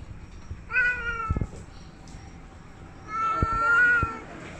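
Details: Domestic cat meowing: two drawn-out harmonic meows, the first short and slightly falling, the second longer and level, separated by a pause, with a few soft clicks and knocks in a quiet indoor room.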